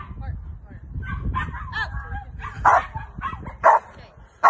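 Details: Female Rottweiler Carma in protection training with a helper, giving three sharp, loud barks spaced about a second apart after a stretch of human talk and low background noise.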